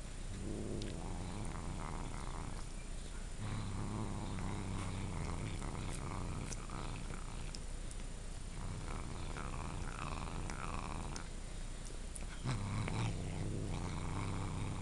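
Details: Dieago, a domestic cat, growls while eating a dog's Denta stick treat. The low, rough rumbling comes in long stretches of two to three seconds with short breaks, and there are chewing clicks in between.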